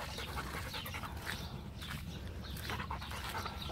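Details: Macho, a Rottweiler, pants during a game of fetch; quick, breathy bursts repeat steadily over low wind rumble, with a man's voice nearby.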